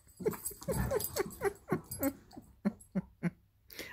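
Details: Irish Wolfhound puppy indoors, pestering her Labrador sister during play: a rapid run of about ten short, throaty yips and grunts over three seconds, fading toward the end, with soft scuffling between them.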